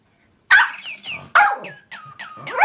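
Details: Papillon dog barking beside a toy bird, sounding like it sings along with the toy's calls: two loud, rasping barks followed by higher, sliding whining yelps.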